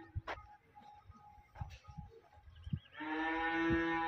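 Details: Holstein-Friesian dairy cow recorded on 10 July 2023 gives a single loud, harmonic moo in the final second. Scattered thumps, clicks and faint chirps come before it.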